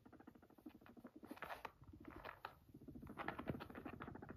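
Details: Max, a guinea pig who came to his person, purrs in a low, rapid, vibrating stutter that pulses steadily and rises in short bursts.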